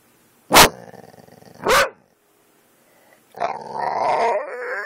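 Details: Kane the dog, reacting to dog videos and captured on an Android phone, gives two explosive barks about a second apart, then after a pause a long, harmonic, whining growl rises and wavers to the end.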